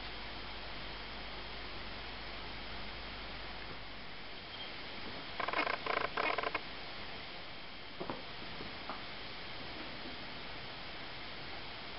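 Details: Steady indoor hiss with a brief patch of soft rustling and clicking near the middle, and no animal voice.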